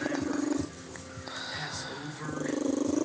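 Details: Elderly pet cat, excited while being stroked, giving a rhythmic purr-sneeze: a fast pulsed rumble in two stretches, opening and closing, with a man speaking in between.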